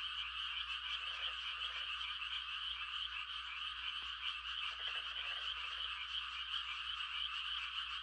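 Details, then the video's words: Night frog chorus in quiet farmland during rice-planting season, mating calls as a steady high trill, two short groups of deeper rattling croaks rising out of it, over a faint low hum. "The sound of frogs on a quiet country night"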